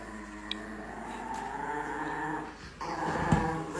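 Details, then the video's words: Angry Chihuahua giving a long, steady, rumbling growl that swells slightly toward the end, with one faint click near the start. "The most Angry Chihuahua in the world"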